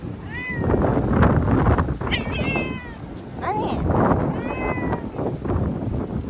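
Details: A timid ear-tipped community cat named Chanta (formerly Nyaa), crying and thrashing while caught and moved into a bathroom in Okinawa as Typhoon No. 10 neared in September 2020. Four rising-falling meows over steady rumbling noise.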